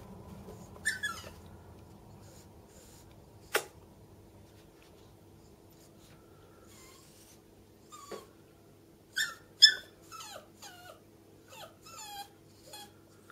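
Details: Bichon frise Millie, chihuahua Alfie and yorkshire terrier Louie waiting at the top of the stairs; a lone whine, a sharp knock, then a rapid run of short high whimpers bending downward near the end, in a quiet room.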